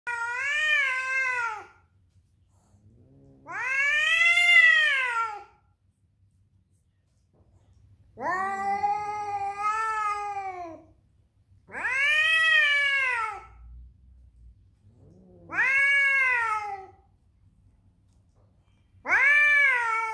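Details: Doby, an angry male cat protecting his territory from other cats, gives long drawn-out harmonic yowls, each rising then falling, about two seconds long and repeated every three to four seconds, in a quiet indoor setting.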